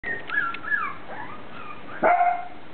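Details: Dog waiting for food in the morning, giving high whistled whines that slide up and down, then one sharp bark near the end.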